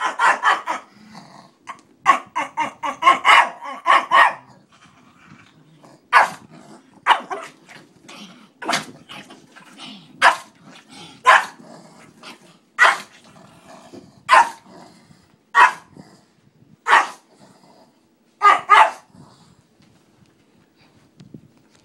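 A Pekingese barks in sharp, high bursts, rapid at first, then spaced about a second apart.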